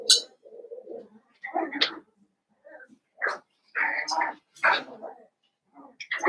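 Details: Blenheim Cavalier King Charles Spaniel puppies, from a litter of five born at New Year, in an indoor puppy pen; high squeaky whimpers and short yelps in uneven bursts, with some soft background voices.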